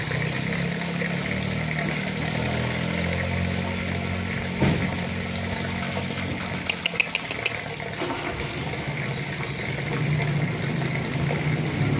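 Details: Continuous mechanical hum and rushing water-like noise, with a few faint clicks partway through, and no animal call.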